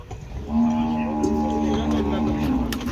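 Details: Friesian cow being sold in a live sale deal, giving one steady, drawn-out low moo of about two seconds with a level, even tone, over faint background noise.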